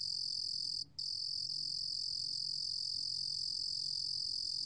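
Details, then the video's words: Shrill, steady high trill of a Ruru bear cricket, National Institute of Biological Resources 2020, pausing once briefly just before the one-second mark and then carrying on evenly. "루루곰귀뚜라미, 여러번 듣기, 곤충소리"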